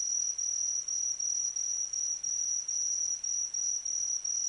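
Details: Insect of autumn calling in a clean, piercing high trill, evenly pulsed roughly two to three times per second against a quiet background.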